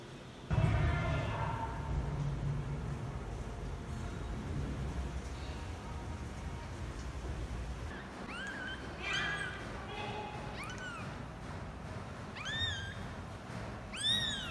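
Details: Domestic cats as a father cat first meets his kittens and runs away: a few high, thin mews arching up then down in pitch, clustered in the second half and growing clearer at the end, over a low, steady rumble.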